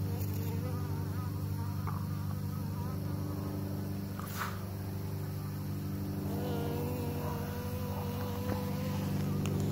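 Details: Bees busy with pollination hum in a dense low drone. A sliding whine passes overhead as one insect flies near the microphone, with short bursts of rustling noise around the fourth second.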